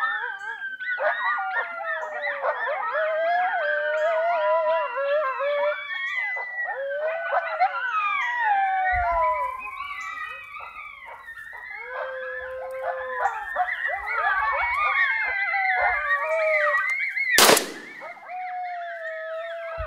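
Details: Coyote pup howling along with a predator call, joined by an adult that comes running in: dense overlapping wavering howls, yips and rising-falling wails sliding through the clip, a sharp loud crack near the end.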